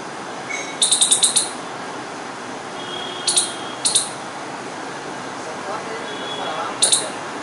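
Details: A squirrel in Delhi, India gives sharp, high chirps, first in a quick burst of six, then in spaced pairs.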